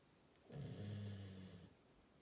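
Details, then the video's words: A single deep, droning snore from a Labrador Retriever, lasting just over a second and swelling then fading, with a faint whistling overtone riding above the low rumble in a quiet indoor room. "리트리버 코골이"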